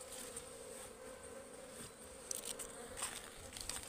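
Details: Honeybees at a wild Ligwan beehive harvested in the forest: a steady, droning hum of many bees with a low-mid hum under sharper scattered clicks and handling noises near the end.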